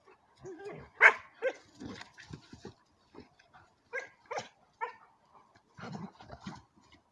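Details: German shepherd dogs, a four-month-old long-haired and a short-haired one; a sequence of short high barks and yelps, loudest near the first second, recurring every half second to second with pauses between bursts.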